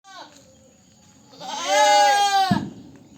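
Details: Goat giving one loud, wavering, nasal bleat lasting about a second, preceded by a brief faint cry and ending with a sudden dull knock.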